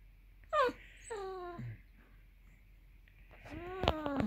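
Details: Hungry Basset Hound Millie whining for dinner: three drawn-out whimpers, the first two falling in pitch and spaced about half a second apart, then a rising whine near the end with a sharp click or knock.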